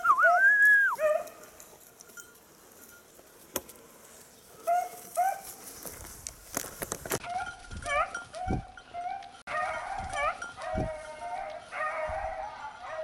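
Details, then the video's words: Beagle on a hare hunt, 19 October 2022, giving voice after losing the hare's trail: an opening run of high, rising-falling yelps, then a pause and a long series of short, sharp barks repeated rapidly with brief gaps. "beagle tsirkoudis 19-10-2022 χαμενος λαγος"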